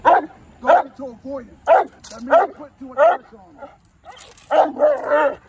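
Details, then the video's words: Presa Canario barking in defense drive training, its first session: forceful, rough barks every half second or so, some doubled, closing with a longer, harsher burst. "Building defense drive (presa canario)"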